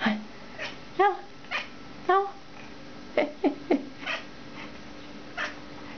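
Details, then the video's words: Cat named Mitzura "talking" with its owner indoors in a small room, giving short harmonic meows and chirps, several rising-falling calls in quick succession, answering a woman's Romanian speech between them. "Mitzura, the talking cat"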